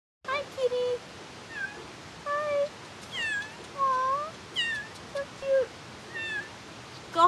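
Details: Small cat met during a film shoot, mewing repeatedly: short high meows, some rising then falling, roughly one every second over seven seconds, with a person's soft greeting close by.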